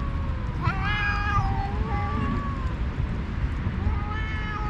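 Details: Two stray alpha cats, leaders of rival cat groups on a cat island, fighting by talking during a feast; overlapping long wavering yowls trade back and forth, one rising sharply, against constant low background rumble.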